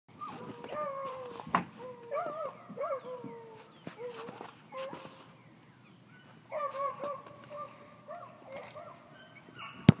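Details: A Chihuahua chasing a rabbit gives a string of high, excited yelping barks and whines with gliding pitch, in bursts with short pauses, mixed with rustling, thumps and a sharp click at the end.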